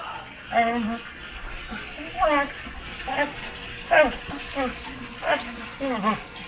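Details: Domestic dog grumbling while scratching its own back: brief whiny, slurred moans, some sliding downward, spaced roughly every second or so over a faint steady background hum.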